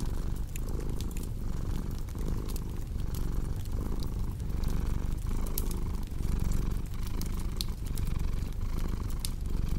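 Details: Continuous low, rumbling cat purr pulsing in an even breathing rhythm, with brief dips about once per second, accompanied by the snapping and crackling of a fireplace.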